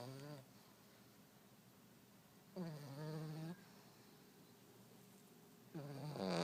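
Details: A French Bulldog snores loudly: rough, buzzing inhalations with stacked harmonics, three snore bursts spaced about three seconds apart, quiet breathing gaps in between.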